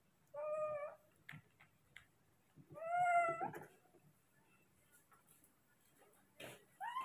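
A baby monkey gives loud, plaintive, mewing cries, calling for its father to bring food.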